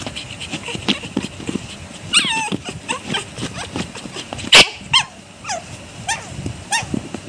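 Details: A pug gives short, high yips and whiny barks that bend up and down, sounding angry, apparently while wanting food.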